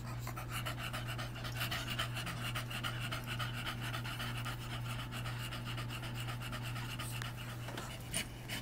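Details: Female English Bulldog in heat, kept as a pet alongside a neutered male dog, recorded August 21, 2010. Steady, rapid breathy panting in quick regular pulses throughout, over a constant low electrical hum.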